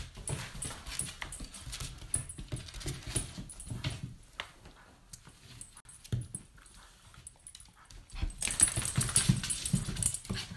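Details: A Cairn Terrier puppy at play makes soft, low grumbles, snuffles and panting in quick, uneven bursts.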